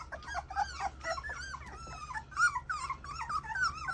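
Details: English Mastiff puppies indoors whining and whimpering together, a dense overlap of high, wavering, bending cries with harmonics, continuous over four seconds with brief low growly undertones.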